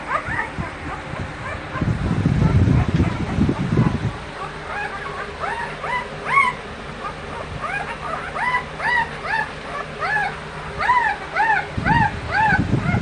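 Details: American Bully dogs at a breeding kennel: after a burst of muffled rumbling and talk, a run of quick, high, arching whimpers and yips follows, several per second, over a steady background hum.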